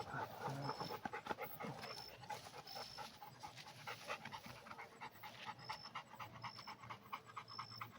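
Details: Red Pit Bull dog breathing in quick, steady pants, with brief human voices early on and a faint high beeping tone recurring in the background.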